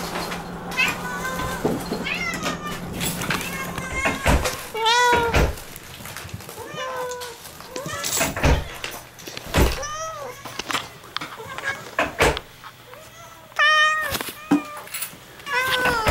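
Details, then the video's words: Moo, a house cat, meets her owners at the front door with repeated wavering, drawn-out meows mixed with human voices, door thuds and shuffling footsteps during the homecoming. "Cat happy welcome 2 !! 玄関開けたら2秒でにゃんこ♪♪"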